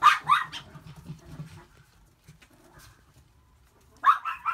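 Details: White and red male long-coat Chihuahua puppy born 13 April 2018: a quick pair of high, sharp yips, then quiet with faint shuffling and low rumble, before another pair of piercing yips at the end.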